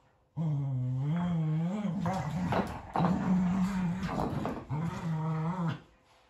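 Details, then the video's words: Kumo the Keeshond and Sully the Boston Terrier fighting over a carrot indoors: sustained low rumbling growls with wavering harmonics, broken by short snarling bursts and scuffling, then another long growl. "Tough Cookie Boston Terrier and Fluffy Keeshond Battle In War Of The Carrot"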